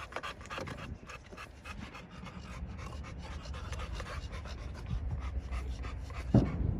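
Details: American Bully pocket dog from a kennel in Romania panting steadily, rapid rhythmic breaths close to the microphone, about four per second, with a brief sharp knock near the end.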